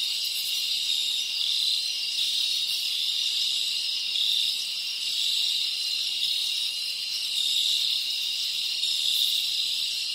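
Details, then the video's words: Crickets from the Dominican Republic in a tropical rainforest setting, a dense steady chorus of high, shrill trilling with faint pulsing swells and no other clear sounds. "Tropical Cricket Sounds"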